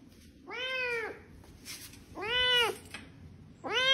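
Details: Domestic cat meowing indoors, three clear harmonic meows, each about half a second long and arched in pitch, repeated roughly every one and a half seconds over a low background hum.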